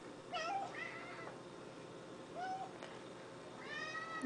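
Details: Plump orange and white house cat meowing to beg for a treat: a quick pair of bending meows, then two more drawn-out meows after a pause, with a man talking to it in the background.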